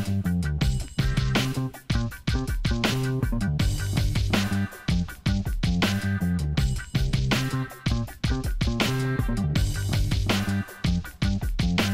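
Upbeat guitar-driven music plays throughout, with a steady strummed rhythm and no animal sounds.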